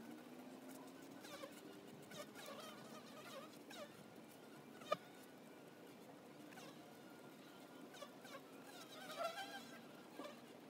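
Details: Buzzing of honey bees around a hive entrance, a low steady hum with thin whining tones sliding up and down as individual bees pass close, plus one sharp click midway.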